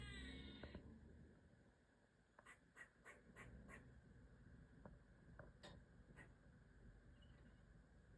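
A black squirrel scolds with a run of sharp, rapid chucks over low background rumble.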